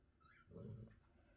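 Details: Basset Hound, fast asleep at night while recovering from an injury and not a usual snorer, gives one low, rough, rumbling snore that swells and fades in under half a second in a quiet room after a faint murmur.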